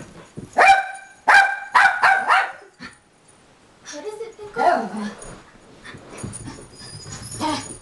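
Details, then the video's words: Pickle, a dog who cannot see, gives a quick burst of five sharp, ringing barks in about two seconds. Softer muffled sounds and a human voice follow after a pause. "Pickle Barking"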